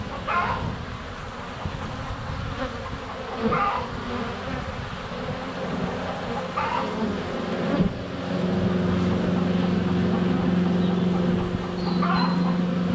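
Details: Honey bees in flight at a hive entrance on a sunny February day, filmed up close with a GoPro Hero 7 Black: a steady low droning hum with bees swirling near the microphone, plus brief soft clucks and birdsong in the background.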